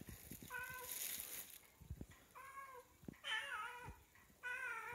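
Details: Female Siamese cat begging for seafish after catching its smell, meowing insistently: four drawn-out, harmonic-rich meows, some rising then falling, spaced about a second apart, with soft rustling and crinkling between calls.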